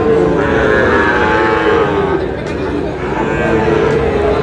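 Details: Sahiwal breed bull calf at a cattle market, bought by a Munshiganj farmer on 11 August; a long, rich, harmonic lowing fills most of the moment, with market voices murmuring beneath.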